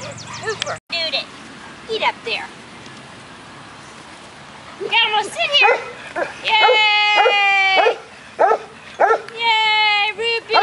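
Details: Six-week-old golden retriever puppies playing outside on agility equipment, giving high, clear harmonic yips and whiny barks in short bursts, clustered in the second half, while a person talks and calls encouragement.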